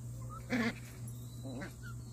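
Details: One-month-old Jindo–Tosa cross puppy in a litter due for its combined vaccine, sleep-talking: one brief high whine, then a softer wavering whimper a second later, over a steady low electrical hum.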